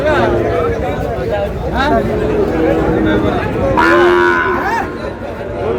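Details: Sahiwal bull calves at a purchase by a farmer in Pabna, Bangladesh, 23 August: busy crowd voices with short cattle calls, then a clear, loud moo of about one second just past the middle.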